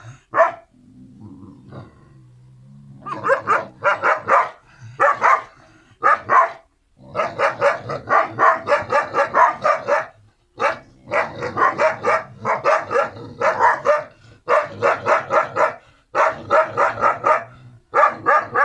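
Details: Kangal puppies, the siblings Karo and Karaca, barking in quick high yapping bursts, about four per second, in long runs broken by short pauses near the start and middle, with a low steady hum under the opening seconds.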